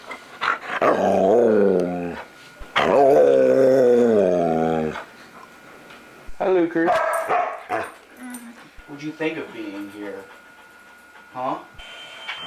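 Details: Luca, a talkative foster dog, gives two long, wavering, whine-like moans. They are followed by shorter broken sounds mixed with what resembles human speech.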